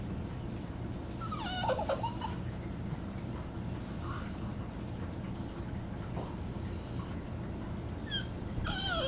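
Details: A female Boston Terrier, excited over her beloved iDog toy, gives brief, high, wavering whines over a steady low background hum.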